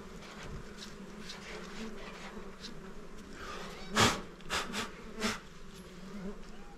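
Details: Honey bees at a small hive during honey hunting, a steady low insect hum running throughout with several sharp broadband clicks or knocks around the fourth to fifth second.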